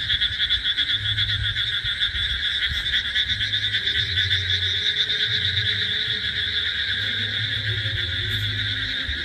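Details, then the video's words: Frogs calling loudly by a hotel cafe at a resort in Taki on 15 July, hopping about in the grass; a dense, unbroken high trilling chorus with deep pulsed croaks repeating underneath, so loud it is called deafening. "আর বাই দ্য ওয়ে ব্যাঙ ডাকছে, দেখো আমি তোমাদের একটুখানি শোনালামও, এত জোরে জোরে ব্যাঙ ডাকছে, মানে কানে তালা ধরিয়ে দিচ্ছে।"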